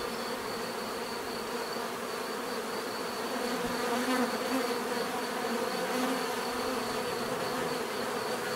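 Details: Continuous bee buzzing, a layered low drone with slight wavering as insects move about; a few closer bees swell briefly in the middle, and a faint steady high whine persists underneath.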